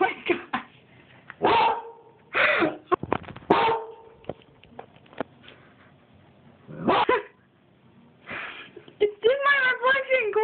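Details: Two-year-old Siberian Husky indoors barking at its owner's reflection in a back door, apparently taking it for an intruder: sharp single barks at irregular intervals, ending in a wavering, howl-like whine, with a woman talking.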